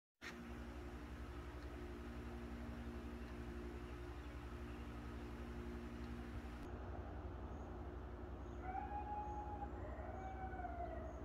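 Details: Coyotes passing through near a farm with goats and ducks howl in the final seconds of an early-morning visit, wavering, sliding wails over a steady low mechanical rumble.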